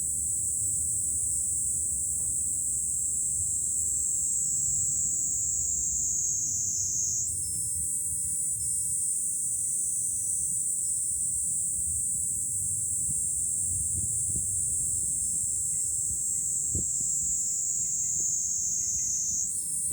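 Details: Cicadas in July at a hilltop viewpoint over Fukuoka city, Japan, sing a sustained shrill buzz, a steady wall of sound that shifts pitch slightly twice, with faint ticking sounds and a low murmur of wind or traffic.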